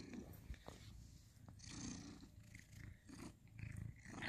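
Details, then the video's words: Ginger house cat Sir Salmon purring in November 2020 while grooming and cuddling with his tabby companion Abby Tabby; a low, steady rumbling purr fills the clip, with faint rustling and soft human voice in the background. "cute ginger cat purring"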